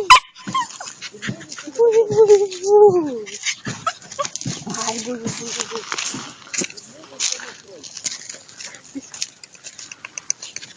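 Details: Bouvier des Flandres dog giving drawn-out whimpering whines, tonal and wavering, in two bouts with short yips between, while a person talks to it affectionately in Russian throughout.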